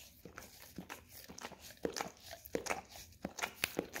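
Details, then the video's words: Pet Golden Retriever working its tongue over a peanut-butter-coated Orapup tongue-cleaning brush; sticky smacks and brush scraping come in uneven clusters, louder toward the end, with nothing else heard. "Dog Licking Orapup Tongue Cleaning Brush - Golden Retriever"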